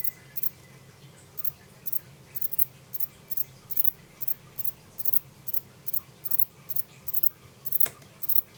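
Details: Captive short-winged form of the himegisu katydid, kept in 2012. Very high, hissing buzzy chirps repeat in a steady series about twice per second over a faint low hum.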